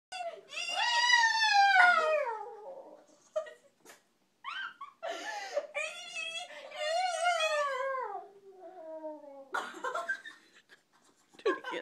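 A Pekingese gives long, tuneful whines and yowls that bend up and down like speech, broken by short pauses. A person's voice encourages it briefly between phrases.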